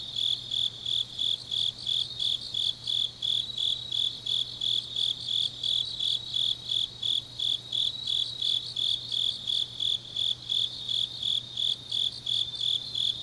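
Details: Grass insects singing on a deep autumn night in Changnyeong, Korea; a dense, rapid train of high chirps, nearly continuous, overlapped by a buzzy upper trill that swells and fades, with a low hum beneath.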